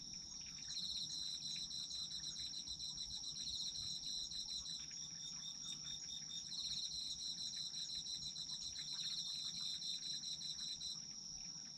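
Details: Chorus of autumn insects for sleeping: a sustained high trill with almost continuous rapid pulsed chirping layered just below it, briefly shifting in pitch midway.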